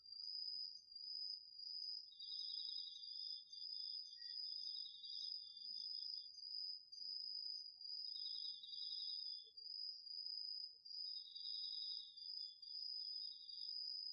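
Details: Crickets and other autumn insects in a home garden vegetable plot in Japan at night, recorded with a DR-40X: a steady high ringing trill overlaid by lower pulsed chirping bursts of about two to three seconds, recurring at intervals.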